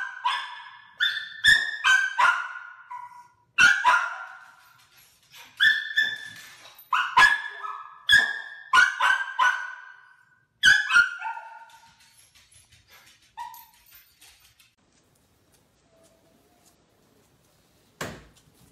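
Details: Playful Dachshund puppies yapping in rapid bursts of high, sharp barks, clustered runs of several yips with short gaps over about twelve seconds, then quiet with a single soft thump near the end.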